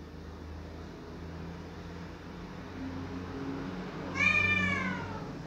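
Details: A cat crying loudly to have a door opened: after several seconds of low steady hum, one drawn-out meow arches up and then slides down near the end.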